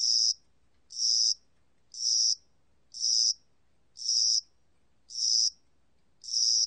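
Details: Chirping cricket, spring and summer: seven loud, shrill, rasping pulses, each lasting about half a second, repeated at a steady rhythm near one per second with a silent background.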